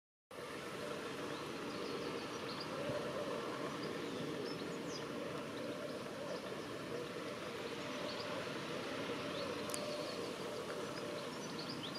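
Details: Only a steady, broad rushing roar like wind or distant traffic is heard, with no clear animal calls.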